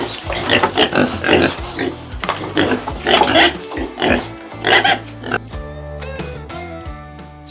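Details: A pig gives rough, noisy grunts and snorts in quick bursts, followed by soft music.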